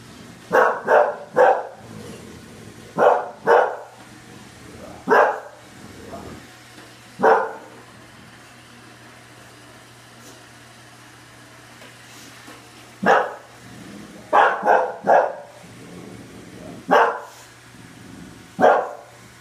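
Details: Facing a Roomba, bulldog Oliver barks in irregular bursts, quick doubles and triples separated by pauses, with a long quiet stretch in the middle and a low motor hum in the background.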